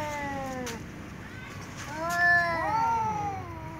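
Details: Two cats, a tom and a ginger, exchange loud meows before eating together. A falling meow fades out, then after a pause come overlapping meows with bending pitch, set against a soft background hiss.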